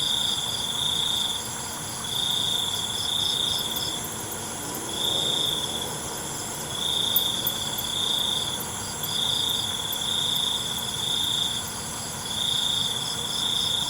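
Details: Nighttime cricket chorus: regular shrill trill bursts of about a second each, repeating steadily throughout, with an unbroken high insect drone behind and a faint low hum.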